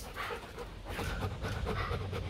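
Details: Bruno, a male breeding Rottweiler at a kennel in Thúy Lĩnh, Hoàng Mai, Hanoi, panting in quick breathy bursts, with steady low rumble underneath.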